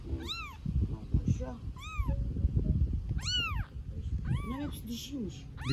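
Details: Newborn stray kitten in Istanbul meowing from hunger for its mother: loud, high, arched meows roughly every second, some drawn out, with people speaking Turkish nearby.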